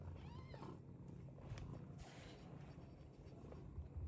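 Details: British Longhair cat giving one brief meow with curving, stacked harmonics near the start, then a low, continuous rumbling background with a few soft clicks.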